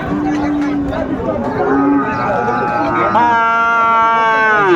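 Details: Cattle at Ambari livestock market in Dinajpur, Bangladesh, 22 April 2024, where Friesian and crossbred bull calves are traded; a long, harmonic-rich moo swells in the second half and sags in pitch at its end, over steady market chatter and voices.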